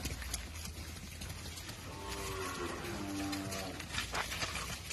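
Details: Gir cattle at a breeding farm: one drawn-out, tonal moo lasting about a second and a half in the middle of the recording, heard over steady rustling background noise.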